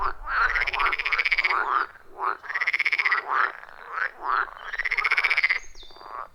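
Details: Wild frogs calling in a loud chorus around a forest pond, recorded with a phone and external microphone: long pulsed trilling croaks lasting about a second each, overlapping with shorter rising croaks from other frogs, no music or talking.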